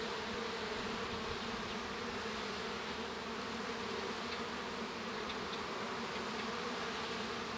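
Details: Steady, full-bodied buzzing of many honey bees within a hive while a young bee hatches, with a few faint faint ticks above the constant drone.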